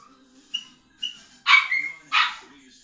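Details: Four-week-old Toy Schnoodle puppies from one litter, asleep: two faint short high squeaks, then two louder breathy yelping bursts with a brief thin whine between them.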